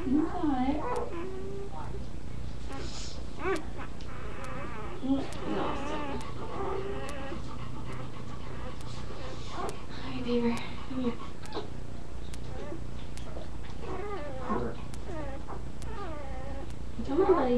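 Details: Young puppies squeaking and whimpering while a person coaxes them to nurse from their mother, producing brief thin squeaks and wavering whines scattered throughout, mixed with soft murmured speech.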